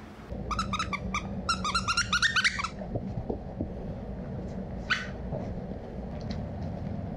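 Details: Two Basenjis, Zinga and Zulu, playing rough indoors, sounding almost mean and vicious: a rapid burst of harsh, stacked, yodel-like yelps and growls over the first two and a half seconds, then scattered softer grunts and a single sharp yip.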